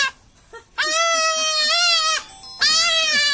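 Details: Kid goat crying out as it is castrated, giving a drawn-out harsh bleat over a second long followed by another beginning, with men talking and murmuring in the background.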